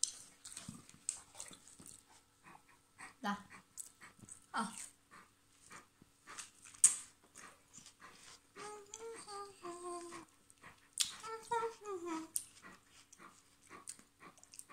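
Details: Bernese mountain dog named Mr. Polo, eating watermelon indoors: two bursts of high, wavering whimpers with stepped, whining tones, mixed with wet chewing clicks and a person speaking Vietnamese nearby.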